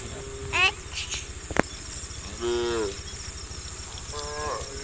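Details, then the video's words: Herd of tame cows guided along a country road toward a farm, giving short, fairly quiet moos spaced a couple of seconds apart, with a sharp click, insect hum and faint background noise. "funny cow sounds"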